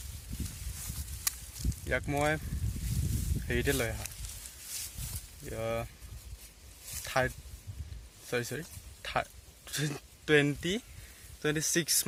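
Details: Beetal F1 and Assam hill goats bleating outdoors in a rural setting: a series of quavering, wavering bleats spaced one to two seconds apart, with rustling and footstep-like sounds underneath.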